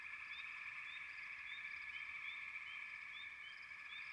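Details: Frogs calling together in a dense, unbroken trilling chorus, with short rising chirps popping out above it about twice a second; no other sounds stand out.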